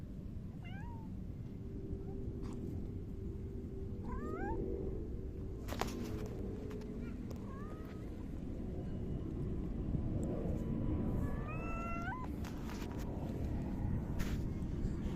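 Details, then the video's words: Domestic cat, a grey tabby (saba-tora), meowing while rubbing against someone, recorded on 29 July 2024. Several short rising and falling meows scattered through the clip over a steady low background hum, with a few soft knocks. "サバトラ 今日の鳴き声とスリスリ"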